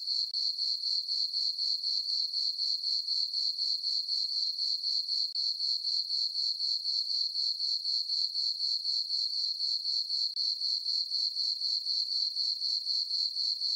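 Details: Summer-night crickets in a moonlit meadow on a farm, giving a continuous shrill chirping in even pulses roughly four per second, with nothing else audible.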